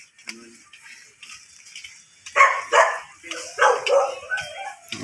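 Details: Two short barks, a pause, then two more from a miniature dachshund during mating at Baybay Lopez, Binmaley, Pangasinan. Quiet noise and faint voices fill the opening seconds.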